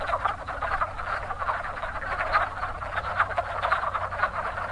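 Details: Wood frogs breeding in spring at an active pond, their chorus a steady wash of short, nasal, chuckling croaks from many frogs at once, some notes louder and nearer.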